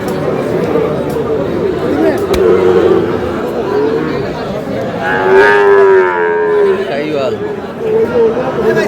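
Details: Sahiwal bull calves at a livestock market in Dhaka, Bangladesh; a long, drawn-out moo with a steady low tone rising slightly and holding for about two seconds, set against constant crowd chatter and market voices.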